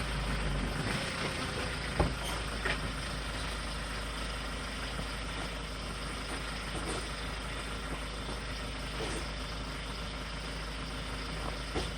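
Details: Steady idling truck engine rumble with faint clatter, no animal calls present.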